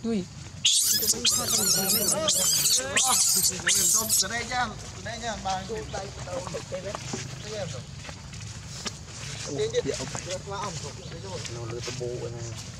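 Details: Baby monkey crying loudly: a burst of shrill, high, wavering screams in the first four seconds, then softer whimpering cries under people talking.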